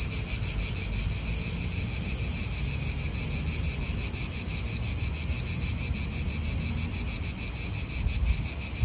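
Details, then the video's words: Continuous cicada song in an Italian park: a sizzling high drone pulsing about three times per second, steady throughout, with gentle wind and distant traffic underneath. "Cicadas wind real atmosphere in an Italian park"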